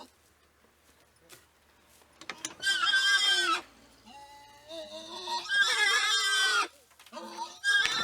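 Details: Group of wild boars, Sus scrofa, in the wild: a near-silent start, then bursts of high, harsh squealing with wavering harmonic tones, broken by short gaps and a softer, lower whining call between the loud bouts.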